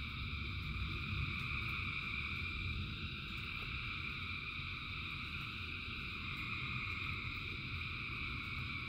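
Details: Thousands of frogs singing in rain: a dense, unbroken chorus forming steady droning trills in several high pitch bands, over a deep low rumble with scattered faint clicks of raindrops.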